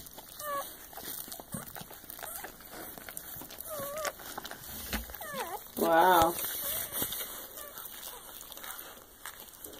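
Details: Newborn Soft Coated Wheaten Terrier and Shiba Inu cross puppies just after birth, giving thin, high squeaky cries that bend up and down, with one louder quavering wail near the middle; a person talks softly throughout.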